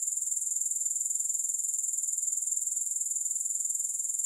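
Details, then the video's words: Grasshoppers chirring steadily with no music, a thin, high, hissing buzz pulsing evenly about twice per second, unbroken from start to finish with nothing else audible. "Grass Hopper Sounds"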